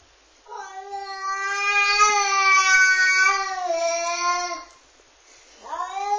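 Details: Domestic cat, female, warning off another cat with an unusual sound like a crying baby: one long, loud, drawn-out wailing yowl with a slight waver, holding steady then dropping, followed by a second rising wail starting.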